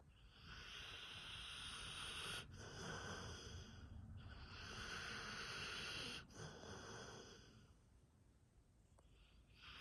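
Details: A sleeping dog snoring, with wheezy, hissing breaths drawn out in long cycles of about two seconds, separated by brief pauses, then fading quieter toward the end.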